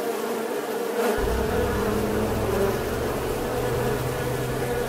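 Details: Bee buzz as a steady humming drone, joined after the first second by a deeper low rumble underneath.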